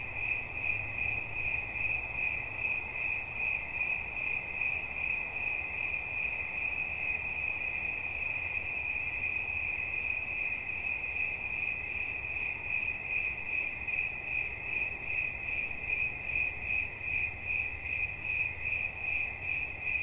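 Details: Cricket chirping steadily, a high, thin, ringing note pulsed in rapid even beats about two to three times a second, with a fainter overtone above and a soft low background hum.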